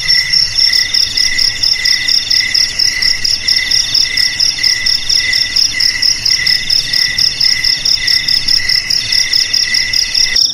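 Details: Repeating cricket trill intended to keep rats out of houses, garages, storehouses and paddies; layered high-pitched chirping pulses regularly over a steady ringing background, ending with an abrupt cut.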